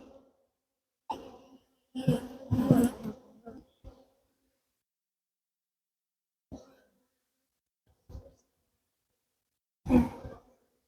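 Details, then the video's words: Western honey bees buzz in short, low bursts, growing agitated as their warm hive is opened on a farm apiary during a check for queen cells. "You can hear these bees, they're getting a little upset now."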